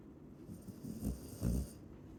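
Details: Chow Chow snoring in two quick rumbling breaths half a second apart, low and throaty with a rattling flutter, over a soft background hiss.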